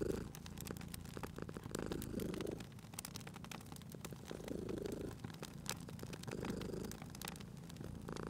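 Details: Cozy fireside scene with a sleeping cat purring; a soft, uneven low rumble rises and fades several times beneath steady crackling and popping of the burning fire.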